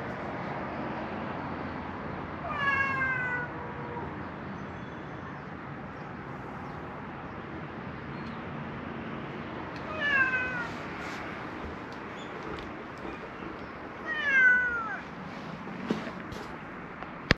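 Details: Wary cats hiding under a wooden terrace where people cannot go; three separate meows, each a short descending wail, spaced several seconds apart over a steady low background hum.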